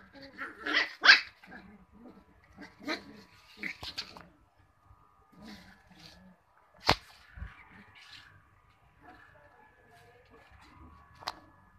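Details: Cocker Spaniel puppies giving scattered high-pitched yelps and whimpers separated by quiet gaps, with a sharp clatter near the middle and some human voices in the background.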